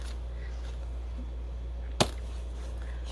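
Low steady hum with a single sharp click or tap near the two-second mark.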